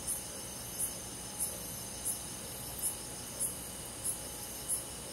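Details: Summer-night cricket in a rural forest, giving eight short, very high chirps in five seconds, evenly spaced about 0.65 seconds apart, above a constant shimmering drone of other night insects.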